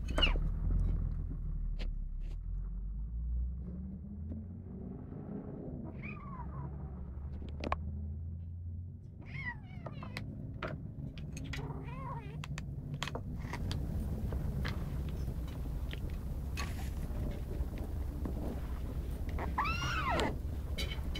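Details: Over-protective kitten defending its food keeps up a low rough grumble, punctuated by several short arched yowls, with the strongest, most drawn-out yowl coming near the end.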